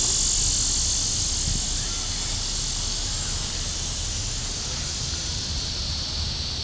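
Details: Cicadas calling in Forsyth Park, Savannah, Georgia, on July 5, 2010, around midday: a loud, dense, continuous high-pitched buzzing drone with a fast steady pulse, holding on without pause throughout.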